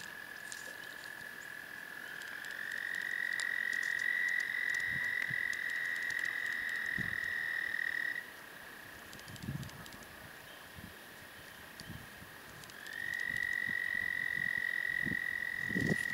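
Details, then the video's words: Toads singing at Patuxent Refuge give long, steady, high musical trills lasting several seconds, with a chorus trilling behind. "Patuxent Refuge toads singing"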